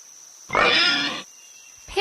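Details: Pig on a farm giving one harsh, loud, rasping squeal lasting under a second, followed by silence and a brief start of another sound at the end, with a steady faint high whine throughout.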